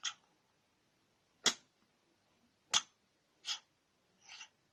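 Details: A cat that can't stop sneezing, giving short explosive bursts in quick succession, five crisp sneezes spaced unevenly over a few seconds, the last one softer, in a quiet indoor room.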